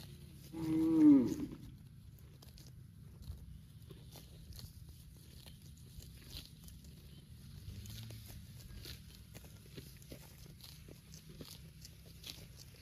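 A cow lets out a single brief moo that drops in pitch near the start. The rest is quiet, with faint tearing and crunching as grass is pulled and chewed over a low rural hum.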